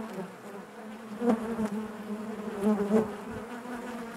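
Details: Inside a honey bee hive: continuous low droning hum with layered harmonics, two louder close buzzes rising out of the mass around the middle and toward the end.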